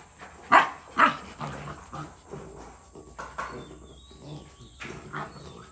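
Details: Black-and-tan Rottweiler puppy, 62 days old, play-fighting with its Rottweiler mother; short sharp yapping barks and rough growly bursts, two loud ones close together near the start, then softer scattered grumbles and scuffling.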